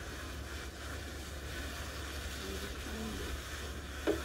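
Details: Steady low engine-like rumble and broadband hiss, with a faint murmur and a sharp click near the end. No animal sound is audible.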